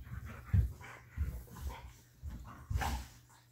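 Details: A Siberian Husky playing with a cat gives low, breathy grumbles and huffs in short bursts, a few each second.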